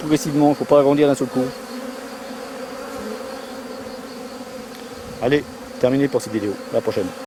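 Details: A drone-laying honey bee colony during its rescue: a cluster of wavering low buzzes at the start, a quiet steady hum, then another run of short buzzing bursts near the end.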